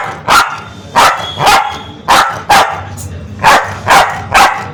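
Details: An aggressive, angry Spitz dog barks loudly and sharply, eight harsh barks coming in pairs and threes about half a second apart.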